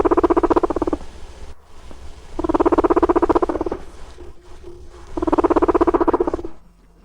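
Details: A guinea pig gives a deep, vibrating rumble in three bursts, made when two adult guinea pigs are put together: showing interest in a partner and marking territory.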